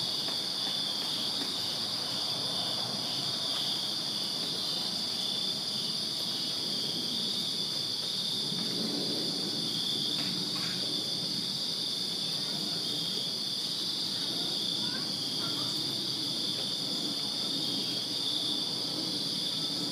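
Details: Summer-night crickets in a Virginia backyard keep up an even, high ringing trill from many insects at once; a soft low rumble swells midway, and faint clicks sound now and then.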